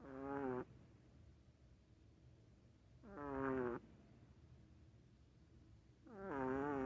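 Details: A dog snores in a steady rhythm, each inhale a buzzy, wobbling tone lasting well under a second, coming back roughly every three seconds with soft, quiet pauses in between.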